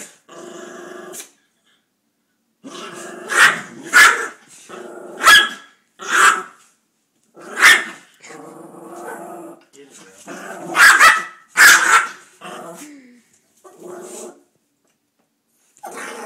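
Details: Pit bull and poodle playing indoors, the poodle acting vicious; rough rumbling growls alternate with loud barks in bursts roughly every second or two, with short silent gaps and a person speaking briefly.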